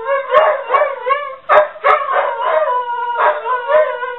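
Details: Crooning duet of two house dogs, Ulla among them, set off by a ringing home office phone: wavering overlapping howls with quick yips and a couple of abrupt bark onsets.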